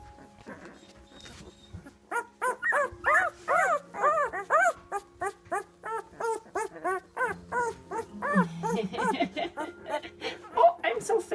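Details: One-week-old British Labrador puppies, black, in a whelping box, squealing and whining in a rapid run of short arched cries with clear harmonics, many per second, while a woman talks softly over them.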